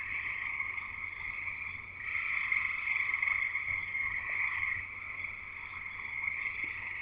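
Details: Frogs singing together at a house in Escanaba, Michigan: a steady high-pitched trilling chorus, many overlapping voices, growing louder after two seconds and easing off near the end.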